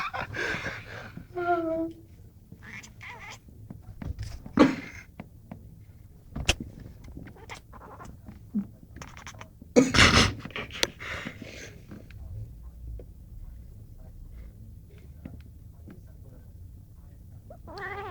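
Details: A Burmese cat (Felis catus) makes odd, short, funny mewing and chirping noises, broken by clicks and rustles.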